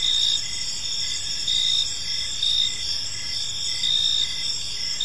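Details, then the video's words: High, shimmering cricket chirps fill an evening park, pulsed trills from several insects overlapping continuously, loudness swelling slightly in regular waves above a quiet low background. "Park Serenade: Cricket Sounds in a Peaceful Park"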